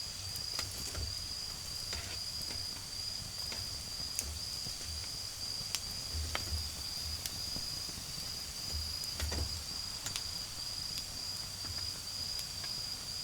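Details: Autumn insects in a garden, heard beside a crackling campfire: a steady, high, thin ringing trill holds without a break under sharp pops and snaps of burning wood, with low rumbling noise beneath.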